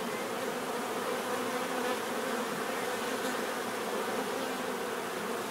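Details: A steady swarm-like buzzing of bees, a low resonant hum with a grainy, fluttering edge, holding constant from start to finish.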